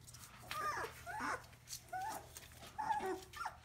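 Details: Collie puppies indoors: a series of high, short whining whimpers and squeaky yelps, each bending down in pitch, repeated roughly every half second, with a steady low electrical hum underneath.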